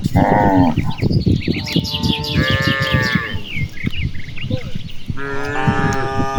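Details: Cattle herd grazing in expansive rice paddies on a clear afternoon; several overlapping lowing calls, one short at the start and longer bellows later, with birdsong and constant low ambient noise.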